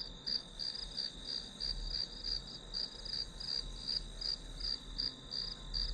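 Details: Grass insects chirping behind a one-hour study session, played as white noise: a steady high, pulsed trill repeated about three times per second over a continuous ringing tone, with a low rumbling hum underneath.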